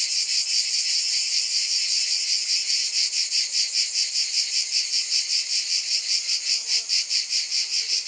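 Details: Cicadas buzzing in a loud, continuous high drone whose pulsing grows sharper and more pronounced toward the end.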